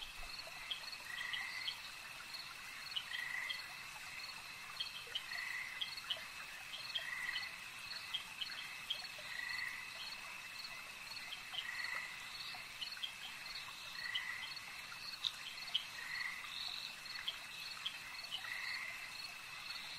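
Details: Croaking frogs by a lake give regular short grating bursts, around one every two seconds, while a constant high insect whine and sparse ticking calls fill the background.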